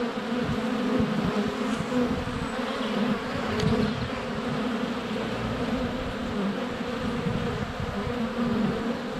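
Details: Honey bees swarming in flight at a hive entrance on a sunny February day, recorded less than a foot away on a GoPro Hero 7 Black; a dense, steady low hum with bees passing close and bumping the camera.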